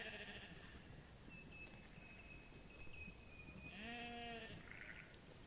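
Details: A sheep grazing on grass in a meadow gives a wavering, nasal bleat near the end, with a fainter bleat at the start.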